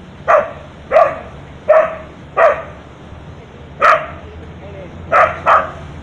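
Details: Street dog at a beach in Thailand barking at a monkey on a tree branch; seven loud, sharp barks, a short pause after the fourth, the last two in quick succession, over a steady low background hum.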